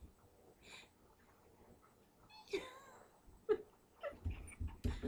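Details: Puppy whining with a short, high, bending cry because he wants his toy, followed by softer yelps. A woman speaks Portuguese nearby, offering him another toy.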